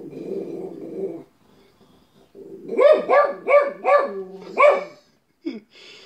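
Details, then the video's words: A pet dog barks in a quick series of five sharp, harmonic barks after a low growly rumble, with brief quiet gaps and a short yelp near the end. "My dog barking"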